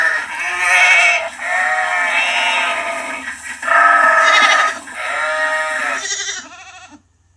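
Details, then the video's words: Sheep, lamb voice, producing a dense stream of high, quavering bleats that run into each other, rising and falling, fading out at the end. "Sheep Lamb voice sound effect no copyright | Sheep high bleating | Sheep baa sound | Lamb bleat"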